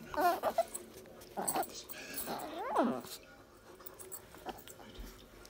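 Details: Tiny Chihuahua Dolly holding her own in rough play with Border Collie Missy, giving three loud, harmonic shrieks that rise and fall sharply, spaced about a second apart, followed by quieter scuffling and background voices.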